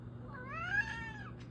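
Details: Domestic cat, a female pet, meowing indoors because she wants to be let outside; one drawn-out harmonic meow that rises then falls, about a second long, followed by a brief breathy noise and a low steady hum.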